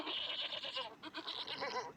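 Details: Goat bleating, played as an example sound in a Hindi school lesson on animal noises; a quavering, nasal bleat with broken, wavering tones repeated in short pulses across two seconds, no other sounds clear.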